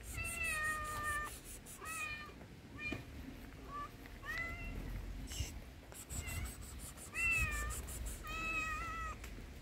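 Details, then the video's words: Tuxedo stray cat on the street meowing hysterically while asking for food: a run of loud, insistent harmonic meows, each rising then falling, repeated in quick succession with short gaps, over faint background noise. "The Tuxedo Cat Meowed Hysterically, Asking Me for Food"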